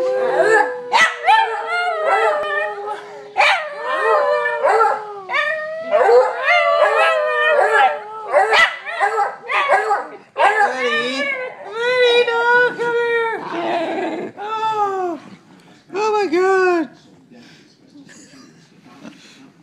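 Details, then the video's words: Pet dog that seems to talk: a long run of varied yodelling howls, whines and rising-falling moans in quick bursts, some with a steady drone beneath, fading into shorter barky yelps near the end. "Buddy Can Talk"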